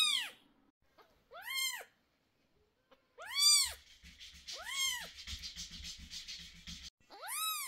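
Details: Indoors, a cat gives sharp arched meows while medicine goes into the sore eyes of two kittens aged 11 days, leaving the mother very nervous. Five cries are heard, with rustling and handling noise filling the middle stretch.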